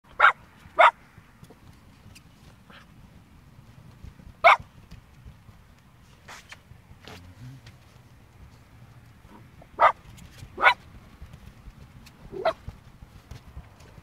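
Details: Blue roan and black-and-white Cocker Spaniel puppies give short, sharp yaps, scattered singly and in pairs.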